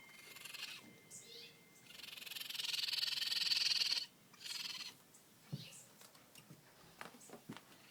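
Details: A family of newborn raccoon babies, living under a house deck, give high, thin chittering cries and a longer shrill whine in quick bursts.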